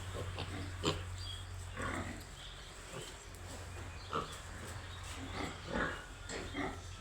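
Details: Baby pigs grunting and squealing at a farm, brief scattered calls, a few sharp high squeaks among softer snorts, with a constant low mechanical hum behind.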